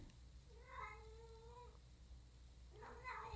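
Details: Pet cat meowing from outside the room in the background of a quiet indoor recording; two plaintive meows, the first long and gently falling, the second shorter and rising, separated by a pause.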